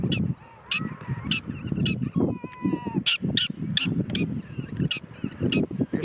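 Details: A black-tailed prairie dog at Caprock Canyons State Park on 1/7/2023 gives sharp, high, chirping barks, about twice a second, over a low rumble.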